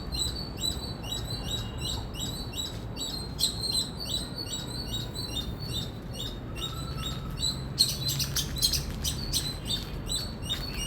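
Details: An Indian squirrel gives rapid, sharp, high chirps in a long unbroken run; near the end the notes become denser and louder, over a constant low hum.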